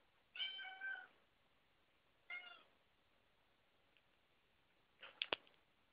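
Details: Domestic cat indoors, with one cat jumping onto a door while another watches: two drawn-out harmonic meows about two seconds apart, followed by a few sharp clicks and knocks.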